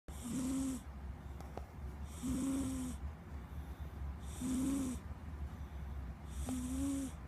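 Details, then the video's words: Squeak, a pet cat, snoring up a storm: regular breaths roughly every two seconds, each a hissy rasp with a whistled nasal tone, four snores in all over a steady low hum. "Snoring cat"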